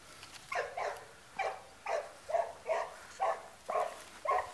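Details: Labrador Retriever barking; a steady series of short, mid-pitched barks about two per second, fairly even, over quiet background hiss.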